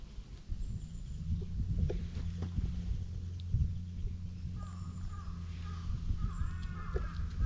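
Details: Stray cat in a park, purring while being patted and stroked: a low, steady, rumbling drone runs throughout. Thin bird chirps and twitters are heard in the background toward the end.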